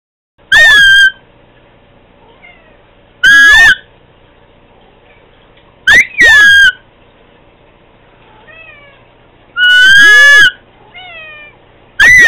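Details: One of several pet cats meowing toward Candy: loud, drawn-out tonal meows with rich harmonics, some bending up then down, arriving in bursts about every three seconds, with faint softer chirps in between and a quiet indoor hum.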